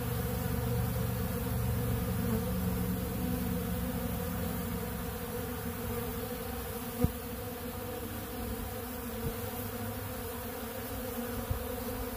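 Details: Honeybees feed on ultra bee pollen at a big blue feeder. Their constant massed buzz holds a low, warm drone throughout, and one sharp tap sounds near the middle while the humming swarm keeps going.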